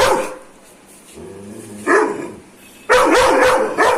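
A Dobermann gives loud, harsh aggressive barks, a single bark followed by a rapid run of them.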